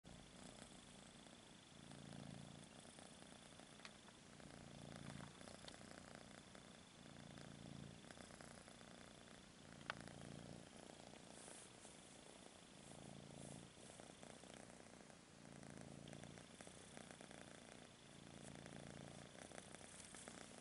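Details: Kitten purring, a low rumble that swells and fades in steady breathing cycles roughly every two and a half seconds, with a faint background hiss and an occasional soft click.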